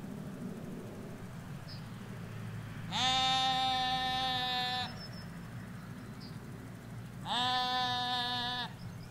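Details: Ewes and lambs grazing a Hampshire countryside field in England, recorded in stereo from a hedge: two long, loud, rich harmonic bleats about four seconds apart, with a steady low traffic hum and faint bird chirps between.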